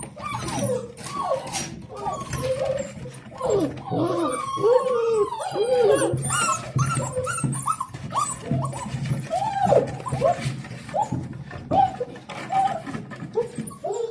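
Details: Litter of 7-week-old Dalmatian puppies welcoming their owner back from work with joyful, wavering whines and short howl-like cries, several pups overlapping, some scuffling in the background.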